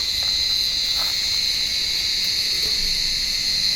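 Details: On a warm evening, cicadas in an olive tree give a continuous piercing buzz, loud and even throughout, without pauses, while cats hunt among the branches.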